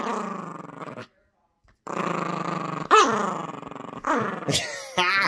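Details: Yorkshire Terrier puppy growling while playing tug-of-war over a squeaky toy indoors: two long rough, rumbling growls split by a short pause, then a sharp rising yelp-like note and thin high squeaks near the end.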